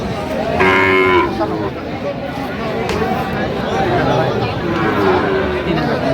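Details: Sahiwal bull calves at the Aftabganj cattle market in Bangladesh on 6 September 2025, bought by a farmer from Dhaka: one short, tonal moo lasting about half a second, then steady crowd chatter and bargaining voices.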